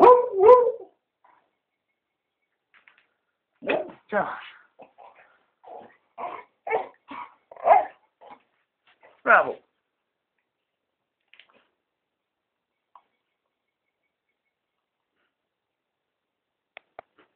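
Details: Oliver the Beagle, a pet dog being called to go outside, gives a run of short, sharp barks and yelps over about six seconds after a brief opening sound, then falls quiet with only faint clicks.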